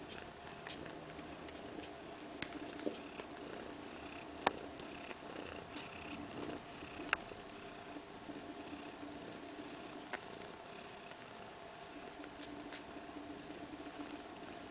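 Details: A mother cat named Kaewe and her two-week-old kittens purring in a living-room kindergarten spot; a steady drone continues, punctuated by several brief sharp ticks and knocks.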